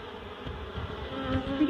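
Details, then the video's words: Honeybees in a barrel being moved to a new hive, possibly clustered around their queen, making a steady, even humming buzz that swells slightly toward the end. "Relocating honeybees"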